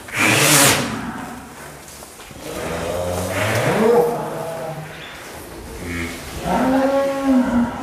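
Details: Angus cattle named Real Douglass, billed as the largest cattle in Indonesia and king of Angus cattle: a short loud moo opens, followed by two longer, lower, drawn-out moos with rising and falling tones.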